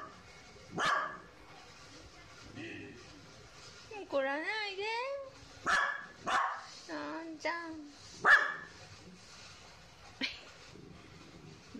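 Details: A female Kaninchen dachshund, born in 2014, barks sharply and gives wavering, whining yelps to announce her owner coming home. She grows restless and starts crying about 30 minutes before he arrives.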